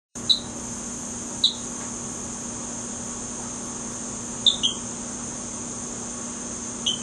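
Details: A Rio Grande chirping frog (Eleutherodactylus cystignathoides) recorded in Beaumont, Texas, calls with brief, high, cricket-like chirps, singly or in quick pairs, over a steady insect drone.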